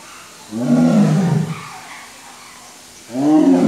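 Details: White tiger at Safari World in Thailand giving two deep, harsh roars, the first lasting about a second, the second starting near the end; quiet background between.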